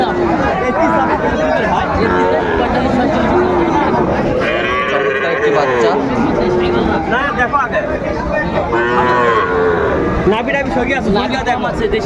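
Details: Sahiwal calves for sale at a market in Mymensingh, Bangladesh, 30 May 2024: a run of bellowing moos, each swelling then falling, repeats every couple of seconds amid loud crowd chatter and haggling speech.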